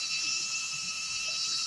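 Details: Crickets at a riverside campsite: a continuous, even, high-pitched shimmering drone with a steady lower tone running underneath, and no pauses or changes throughout.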